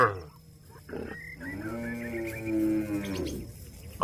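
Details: Cattle calling companions to return to the pen, giving a long, moaning moo of about two seconds that rises a little then falls, over a low background hum.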